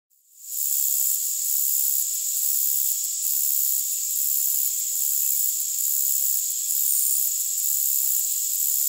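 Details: A short-winged meadow katydid (Conocephalus brevipennis) stridulates in a thin, continuous high buzz with faint regular pulses, at 10–20 kHz, boosted with EQ.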